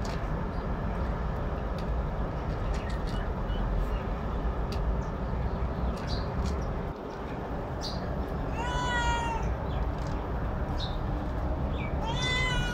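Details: Domestic cat that likes eating alone stays quiet at first, with only scattered ticks over a loud low rumble, then gives one long wavering meow near the end and a shorter one at the close.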